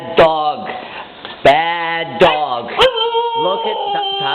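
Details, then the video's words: Female Siberian Husky puppy Tundra crying after being called a crybaby and scolded by her owner; drawn-out wavering howl-like wails with falling tails in repeated bursts, overlapped by the owner's scolding speech and sharp knocks. "Husky puppy cries when called a crybaby"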